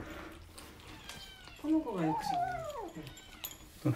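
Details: Rescued kitten from a litter of fostered kittens on day 26 of care, chattering indoors while eating dry kibble; a long drawn-out meow rising then bending down over about a second and a half, with a woman talking softly and small clicks of food.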